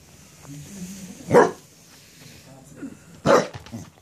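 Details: Excited Cardigan Welsh Corgi, worked up after being handed a cabbage core, gives two loud, abrupt barks about two seconds apart over quiet talking.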